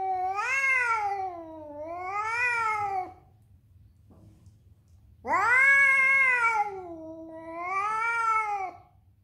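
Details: Angry male domestic cat defending its territory against other cats, giving long, drawn-out, wailing yowls that rise and fall, four in two pairs with a pause between, in a quiet room.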